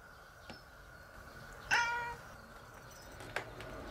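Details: Stray cat called Nora, also nicknamed Kuu-chan, giving one of several different meows in a short span: a single short, bright, harmonic-rich meow about half a second long over a steady background hum, with faint clicks around it.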